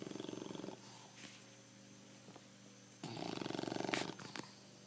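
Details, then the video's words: Snoring bulldog named Pancho: buzzy, fluttering rasps, one fading early and another about a second long starting near the three-second mark, over a steady faint room hum. "BULLDOG, Pancho para de roncar !"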